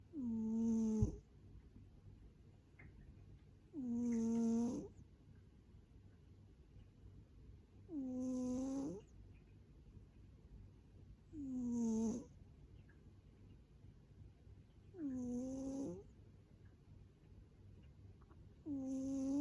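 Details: Hotate, a rescued 7.6 kg former boss cat described as very fat, snores loudly indoors: six nasal, whistly snore bursts about every three and a half seconds, each falling slightly in pitch, with quiet breathing between.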